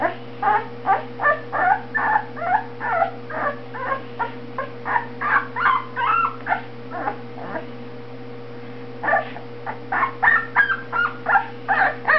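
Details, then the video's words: Two-week-old Boxer puppy whimpering and yelping in rapid squeaky bursts, roughly two or three per second, with a brief pause midway, over a constant low mains hum in a small room. "2 weeks old baby boxer"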